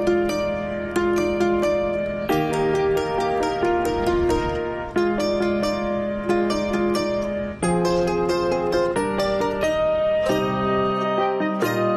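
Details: Plucked string music, zither- or harp-like, plays a bright repeating melody over a low sustained bass, with no animal voice.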